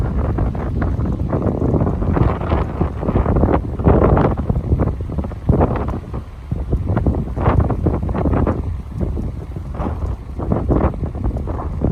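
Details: Heavy wind buffeting the microphone with low rumbling and water noise, and no animal calls standing out.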